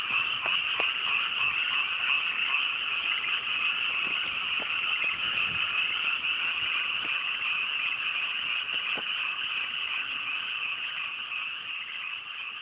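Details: Large frog chorus from freshly planted mountain rice paddies on a clear, cool night: continuous overlapping croaking throughout, fading slightly toward the end, occasional faint low thuds.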